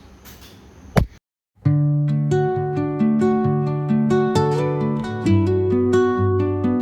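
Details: Plucked acoustic guitar music plays a bright, steady melody after a short sharp tap and a brief silence, with no animal voice anywhere.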